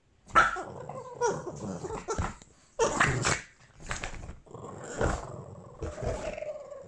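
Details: Boston Terrier named Albert growling during a playful fight while being dressed in Christmas sweaters; low rumbling growls come in bursts with short gaps, some rising into sharper snarls, and a person's voice is heard between them.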